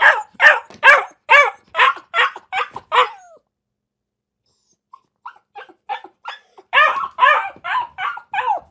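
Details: Dog gives a quick volley of harsh barks, falls silent for about two seconds, then starts again with soft, short barks that build back into loud, rapid barking.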